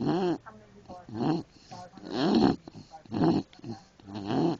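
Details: A sleeping English Bulldog snores in a steady rhythm, with rough, rumbling breaths roughly once a second and quieter snuffling between them.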